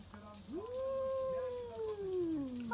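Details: Stray tabby cat at midnight, meeting an old rival: one long tonal yowl rising steeply, holding steady, then sliding slowly downward over about two seconds, with rich overtones and a quiet background.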